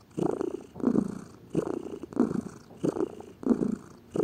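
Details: Lazy pet house cat purring, a low rhythmic rumble that swells and fades with each breath, about six cycles in quick succession, with nothing else audible.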